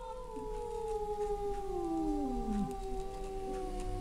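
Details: Two male cats in a vocal standoff, one giving a long, slowly falling, moaning yowl that slides lower over about two and a half seconds, with overlapping fainter wailing tones and a low background hum.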